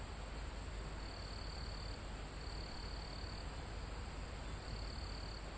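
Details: Crickets recorded live in a calm mountain forest close to the summit: one-second bursts of high, even trilling repeat against a continuous shrill insect drone and a low breeze in the leaves.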